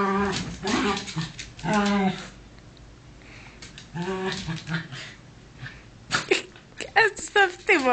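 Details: Play fight between two dogs named Bunny and Cookie, the smaller one; low harmonic growls come in three bursts, then scuffling gives way to short, high, rising whimpers near the end.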